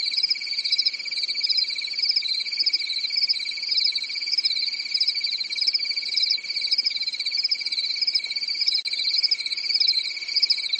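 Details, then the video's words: Nighttime cricket chorus recorded on a quiet European summer night; rapid high-pitched pulses run continuously in overlapping layers, with a faint steady low tone in the background. "Grillen zirpen in der Nacht"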